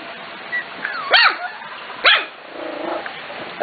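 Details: Rowdy Corgi puppies, five to six weeks old, from the Katie, Emma and Annie litters, bark in the morning: two sharp high-pitched puppy barks about a second apart, with softer whines and a woman's voice around them.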